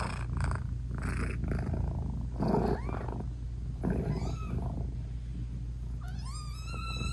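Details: British Shorthair mother cat talking sweetly to her newborn kittens while nursing; a low purr underlies breathy pulses, then soft rising chirp-like meows appear around the middle, ending in a clear, long, bending meow.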